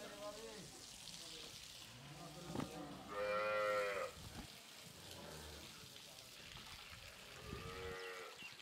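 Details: Heifer calves aged 13-14 months, kept on a farm in Pabna, Bangladesh, and offered for sale. A strong moo rises and holds for about a second midway, and a shorter moo comes near the end, amid clattering and rustling noise.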